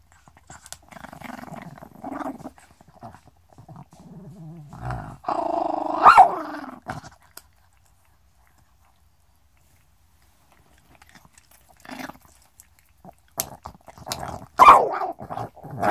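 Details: A small Chihuahua growls in low rattling bursts while breathing, broken by sharp snaps and yaps, growling, snapping and breathing all at once.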